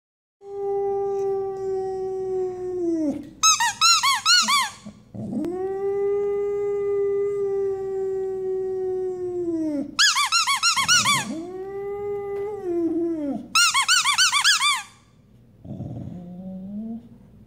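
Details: Pet dog howling at squeaky toys: long steady low howls of several seconds each, alternating with bursts of rapid high squeaks from the toys, ending with a softer whimpering howl.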